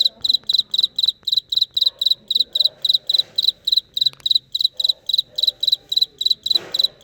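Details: Cricket calling in real life with a regular train of shrill, pulsed chirps several times a second, bright and ringing; soft background murmur and a brief rustle near the end.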